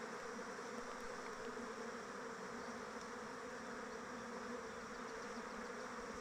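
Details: Many honey bees flying around their hive in open weather make a steady, dense, continuous droning hum.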